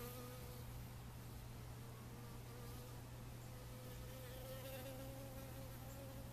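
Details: Honey bees gathering water for their hive, their steady wing buzz sounding throughout with a slightly wavering pitch as they fly near the water source, over a constant low hum.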